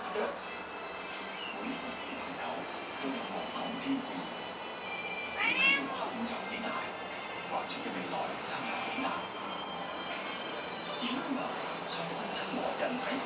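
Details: Female kittens, 58 days old, on cat furniture, born 18 October 2012; one short rising-then-falling meow midway through, over steady background noise with faint voices and music.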